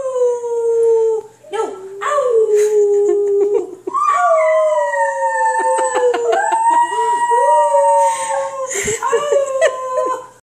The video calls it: Singing Italian Greyhound